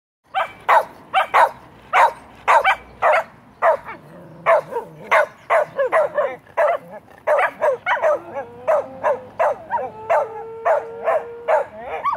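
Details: Pet dog barking after hearing a fire truck siren go by: rapid run of sharp yips and barks, some rising into whining tones, continuing steadily for twelve seconds.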